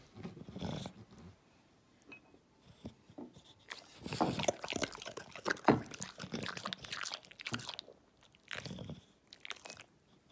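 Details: A bulldog of the English breed chews noisily, giving sharp crunches and wet smacking bites in irregular clusters with short quiet gaps, while a person mentions a banana and an unwanted carrot.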